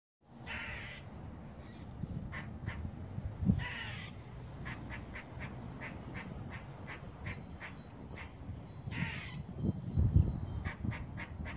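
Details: A squirrel on the roof of a house gives a warning call: harsh, rasping calls between quick repeated chips, over a steady low rumble.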